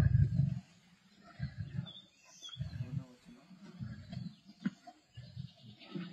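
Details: Black Dam males and the Avoca Pride lions at a kill, 31 March 2024: one strong low growl at the start, then softer, irregular rumbling grumbles repeating over several seconds.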